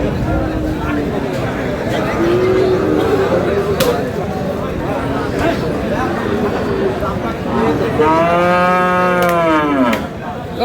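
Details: Friesian or cross-breed bull calves at a cattle trading day in Aftabganj market, Dinajpur, on 7/6/26: a few softer lows, then one loud, long, harmonic-rich moo that rises and falls near the end, over constant crowd chatter and bargaining voices.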